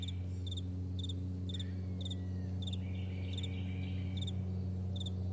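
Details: Crickets chirping on a vast meadow in the morning: high, bright double pulses repeated in quick succession, about four per second, over a steady low droning hum like a distant plane.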